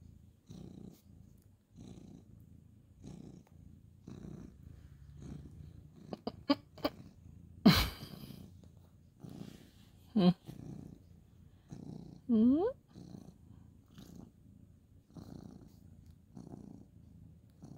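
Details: Ginger tabby cat, male, purring while being petted on a bed at bedtime, indoors; steady low rumbling purr in rhythmic breaths about once a second, with a few short higher mews and brief rustling and handling noises.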